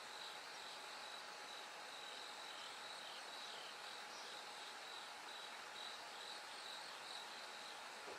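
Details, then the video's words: Night-to-dawn recording of a bell cricket, whose high, faint, bell-like pulses repeat evenly in a continuous train, partly buried in a steady wash of hissing ambient noise. "bell cricket Cry of falling insects"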